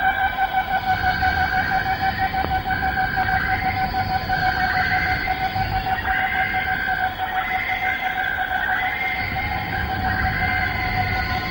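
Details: Cicadas in a Malaysian rainforest chorus at dawn or sunset, recorded in the late 1950s to early 1960s. A constant layered drone carries repeated rising, swelling phrases about every two seconds over low rumbling background.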